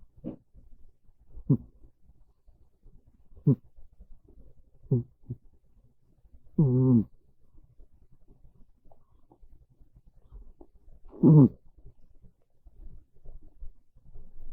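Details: Pet cat Monta sleeping on a bed on a rainy, cool afternoon, snoring softly; brief low snorts every second or two, then two longer, fuller rasping snores, indoors and otherwise quiet.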